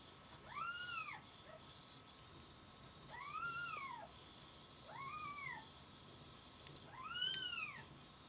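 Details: Kittens mewing indoors: four high, arched meows, each rising then falling, spaced about two seconds apart, over a faint steady electrical hum.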